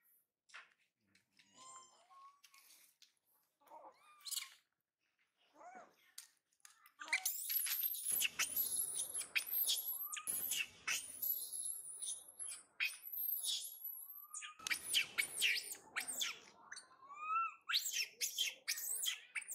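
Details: Spoiled baby monkey Mila cries after mother Malika leaves to forage and brother Marto rejects her; soft scattered squeaks at first, then dense shrill high squeals and screeches in rapid bursts from midway on.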